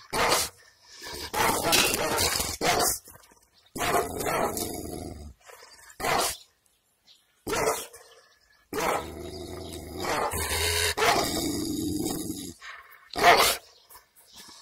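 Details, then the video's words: Village Kangal dog, not owned by the recordist and filmed with the owner's consent, barking angrily: hoarse single barks separated by silent pauses, then a denser, sustained barking burst near the end. "Kangal köpeği havlaması urmesi köpek havlaması sesleri kızgın köpek nasıl havalar köpek havlaması"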